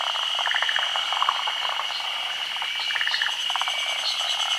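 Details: Forest green tree frogs, endemic to Japan, spawning at midday on branches overhanging still water during the rainy season. Short clusters of quick pulsed croaks come in bursts over a steady high-pitched drone.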